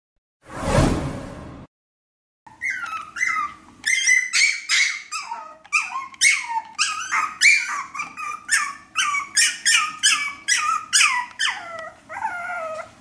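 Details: Maltese puppy whining to be let out: a loud burst of noise, a pause, then a rapid run of high squeaky yelps and whimpers, each sliding downward, repeated many times in quick succession.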